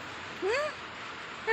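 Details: A German Shepherd puppy, startled, gives a single short whining yelp that rises and then falls, bright with overtones, followed by the sharp start of another sound at the very end.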